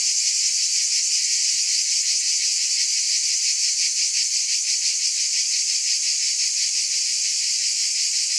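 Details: Continuous sizzling buzz from cicadas, a high hissing wall of sound with a regular throbbing pulse of about three per second and nothing else audible.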